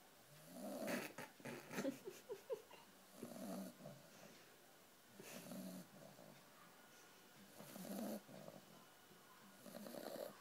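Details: A sleeping puppy snores softly, rough breathy snorts and wheezes coming in irregular bursts every second or two, quiet overall.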